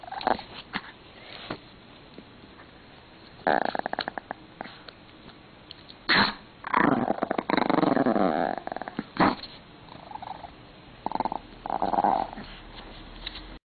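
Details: Pomeranian named Koh-chan growling angrily indoors when his beloved string is taken; rough, rasping growl bursts come in irregular clusters with short quiet gaps between them.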